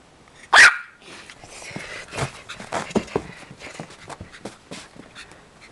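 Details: Little dog named Foxy playing and barking: a single sharp, loud bark near the start, then soft scuffles, thumps and faint vocal noises of play.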